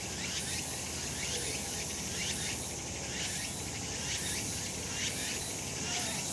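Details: Cicadas calling on a sunny summer mountain: a dense, shrill, high buzzing chorus that swells in pulses about once a second over a steady hiss.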